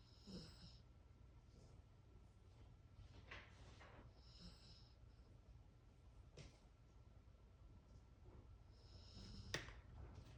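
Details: Dog sleeping soundly indoors, snoring softly: four breathy snorts about three seconds apart across ten seconds, with faint whistling nasal tones between breaths in a quiet room.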